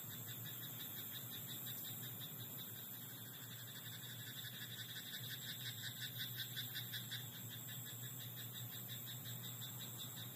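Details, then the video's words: Frog croaking in a rice paddy at night: a bout of rapid, pulsed, rattling croaks repeated in quick succession in mid-clip, set against a steady low hum and a faint high whine. "田んぼのカエル "Croaking frog in rice paddy at night""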